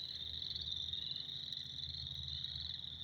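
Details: Spring night-style racket of many frogs, an unbroken shrill high ringing chorus of overlapping calls with a faint low rumble underneath.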